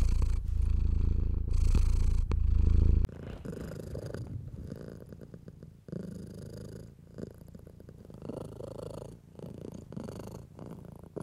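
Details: House cat purring while being stroked, a low rumble at first, then a steady pulsing purr with soft rustling of hand on fur.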